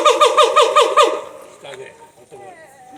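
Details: Captive siamang at Higashiyama Zoo gives a rapid series of loud, pulsing hoots, about five per second. The series fades into softer, wavering tones in the last second and a half.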